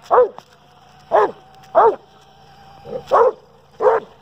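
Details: Dobermann named Kruz, a pet, barking at a remote-control toy car: six sharp barks spaced about a second apart, with a steady motor whine running underneath.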